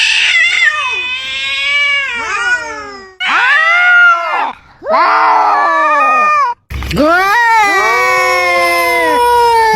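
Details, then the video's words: Pair of cats seeming to argue with dramatic meows: a rapid run of short, downward-sliding cries, then louder strained yowls, and finally a long, level, drawn-out wail after a brief silence. "Two Cats Swearing?! 😂🐱 Funniest Cat Argument Ever!"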